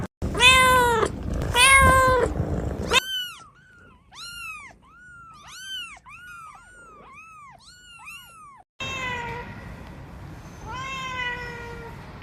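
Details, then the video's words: Kittens meowing: loud harsh meows, then a quick series of short arched mews rising and falling, roughly twice a second, followed by longer drawn-out meows against a faint hiss. "Kittens meowing"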